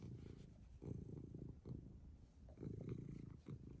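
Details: Pet cat, said to be angry, purring quietly indoors: a low, rumbling, pulsed purr of about four beats per second that swells and fades in uneven waves.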